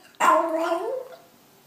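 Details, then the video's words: Pet dog indoors giving a single 'talking' whimper-yip: an abrupt onset sliding into a bending, slightly falling whine lasting under a second, then fading to quiet room tone. "Smart Talking Funny Dog Videos"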